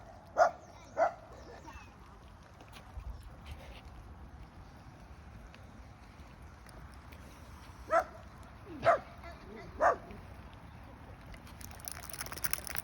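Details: Small dog barking at a panther, two short yaps early, then a quiet gap with background hiss and faint voices, then three more spaced yaps about a second apart.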